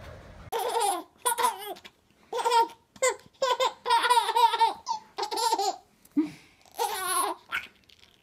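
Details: Indoors, a baby laughs and babbles in repeated bursts with short pauses; no dog or other animal is heard.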